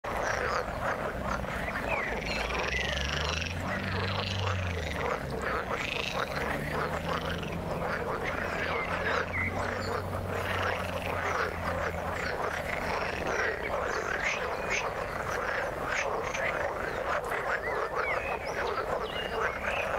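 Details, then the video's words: Frogs calling in the water, a dense overlapping chorus of rapid croaking pulses between roughly 500 and 3,000 cycles, steady and unbroken throughout, with a low droning hum underneath. "Frog sound in the water"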